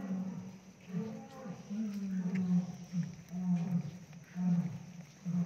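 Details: A captive Royal Bengal tiger at Nandankanan Zoological Park, Odisha, India, gives deep, droning moans, repeated every second or so.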